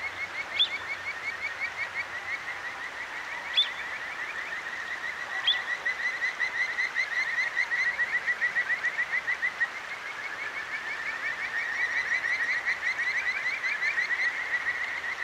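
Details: At night in Tokyo's Akigawa Valley, a Kajika frog sings over a clear stream, captured with a Zoom H6. A steady chain of quick, rising whistled chirps continues throughout, broken by three sharp, higher clicks or notes.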